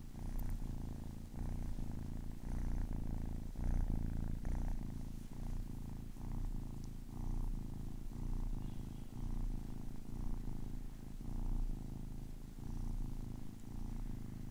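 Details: Ten-week-old kitten purring close up indoors: a steady low rumbling drone with soft pulsing, the breathing cycle audible as gentle swells roughly once a second, no other sounds.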